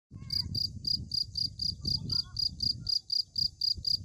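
A cricket chirps steadily, high-pitched pulses repeating about four times a second.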